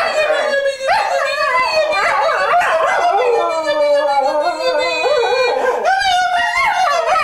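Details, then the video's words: Pet Cocker Spaniel singing along with its owner: long, continuous howled notes that waver and slide up and down in pitch, rising again near the end, with only brief dips in loudness. "SINGING COCKER SPANIEL"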